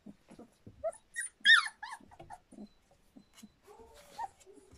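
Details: Standard Poodle puppies a little over three weeks old, indoors, giving soft high whimpers and squeaks in short bursts, with one louder rising squeal near the middle and a low grunt toward the end.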